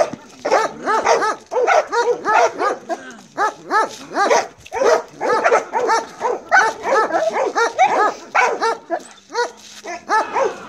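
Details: Belgian Malinois named Marley in bite work training, barking in fast, insistent bursts of harmonic, slightly whiny barks, several per second, with short pauses between volleys.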